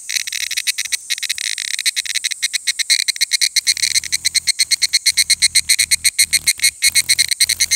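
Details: Evening cicadas at 17:42 on 23 July 2018 in Takahashi, Japan sing a high, metallic chorus of rapidly repeated notes that pulse steadily.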